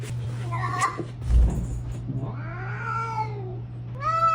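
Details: Domestic cat making a short chirping call, then a long wavering meow that climbs and drops away, and finally a rising meow cut off at the end, over a constant low hum and faint room noise.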